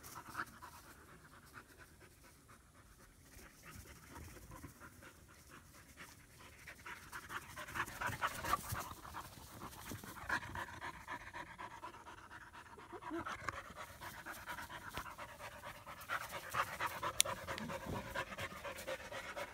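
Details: Panting from two German Shepherd puppies worn out from playing together for the first time in Florida, a young female and her older half-brother Psycho; fast breathy pants roughly two per second, swelling midway, with rustling and movement noises.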